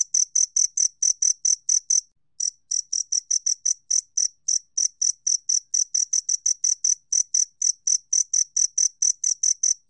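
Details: A two-spotted cricket, recorded in 2020 by Korea's National Institute of Biological Resources, chirps in a fast, ringing series, stops briefly around two seconds in, then carries on with the same clean, high pulses for the rest.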